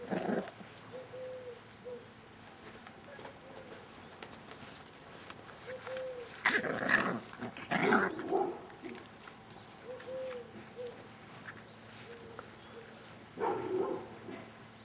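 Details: Staffordshire Bull Terrier puppies, litter K, Staff Komas kennel, 38 days old on 20.09.2010: thin, arched whines every second or two, broken by a few louder, noisy yelping bursts.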